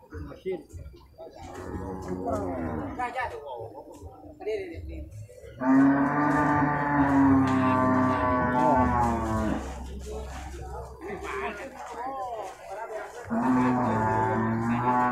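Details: Two long, loud moos from beef cattle at the Purwakarta livestock market, Indonesia, Monday 15 July 2024. The first lasts about four seconds and the second comes after a gap filled with chatter. Music and crowd noise throughout.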